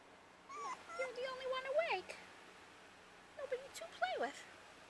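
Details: Puppies at play: high, wavering whines and squeals that rise and bend, in two short bursts separated by a quiet gap, over a faint background hum indoors.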